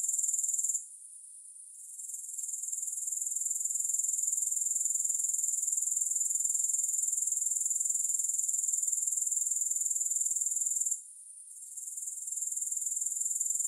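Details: High, hissing chorus of grasshoppers with no music. The buzzing trill drops away just after the first second, swells back over the next moments, and breaks off once more around eleven seconds.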